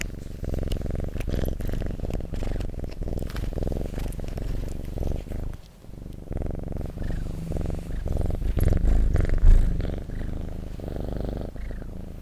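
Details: Domestic cat purring close up indoors: a continuous low rumbling vibration with soft breath-paced swells, plus faint handling rustles.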